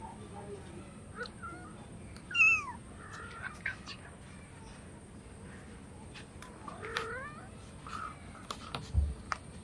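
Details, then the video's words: Hungry cats meowing for food: one loud, rising-then-falling mew followed by several fainter mews, with clatter and other faint sounds in between. "Funny cats and kittens meowing for foods |Hungry cats meowing compilation"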